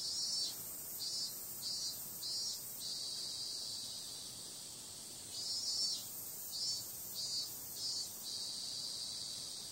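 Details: Night-time cicada chorus in summer, a constant shrill buzz overlaid by rhythmic swells, four or five quick pulses in a series, a calmer steady hum, then a fresh series of pulses near the end.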